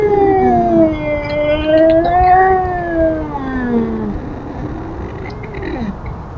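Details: Feral cat Tubs yowling at an intruding cat: sustained wavering howls rising and falling in a slow undulating pattern, trailing off into lower moans.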